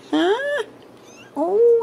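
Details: Ragdoll kittens raised indoors without cages at a cattery in central Kansas: two clear, rising harmonic meows, the first short and climbing, the second longer and held level at its end, with a quiet pause between them and a woman's voice nearby.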